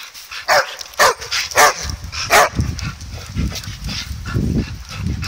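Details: Dogs Jed and Kal barking madly during a ball game: four loud, clear barks roughly every half second, followed by softer, lower woofs and rustling.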